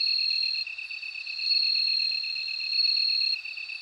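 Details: Bell cricket singing: a high, ringing, sustained tone that swells and fades in loudness, over a lower, rapidly pulsed chirping repeated about four times a second, with no other sounds.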